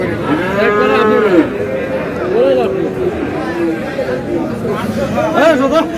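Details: Friesian and cross-breed bull calves, about seven to eight months old, at Aftabganj cattle market in Dinajpur: a drawn-out moo opening, then shorter, rising lows, with busy chatter from traders throughout.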